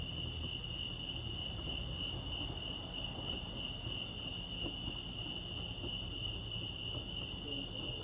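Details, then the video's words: At Lake Arrowhead in California, crickets keep up a continuous shrill pulsed chirring at one even pitch, over a low background hum. "Serenity sounds crickets chirping lake arrowhead"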